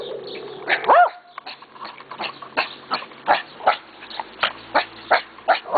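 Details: Friendly dogs belonging to the neighbour, barking whenever they see someone: a rising yelp near the start, then a steady series of sharp barks about every half second.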